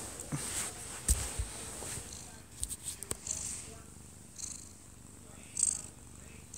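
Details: Odd-eyed Munchkin cat, one year two months old, sleeping in its owner's arms indoors, recorded close up; a faint low rumbling purr sits under a television left on, with scattered clicks and rustles.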